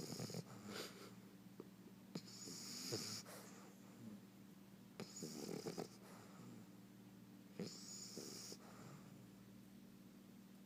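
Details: Bulldog puppy asleep, snoring in irregular breathy rasps with hissing, wheezy highs, about twenty snores a minute, some louder gurgling snorts, over a constant low background hum.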